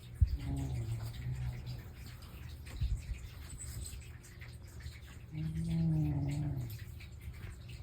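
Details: House cat, Mei or Totoro, asleep indoors and snoring: a buzzy low drawn-out breath early on, then another swelling one about five seconds later, with soft rustles and a steady indoor hum between.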